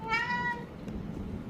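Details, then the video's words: House cat answering the word for dried pollack, a favourite food, with a single short, clear, slightly falling meow at the start, followed by quiet room noise and faint rustling. "고양이가 이 단어를 들으면 반응이 바로 온다"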